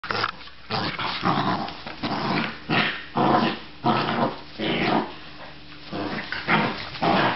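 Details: Australian Terrier giving repeated short growling barks and rough vocal bursts, roughly one every half second, in a small indoor room, with a steady low hum underneath.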